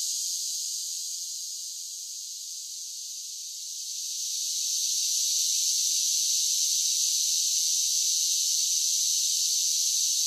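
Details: Cicadas singing on a summer day: a steady, hissing high-pitched drone with no breaks, quieter at first and swelling louder after about four seconds, then holding level.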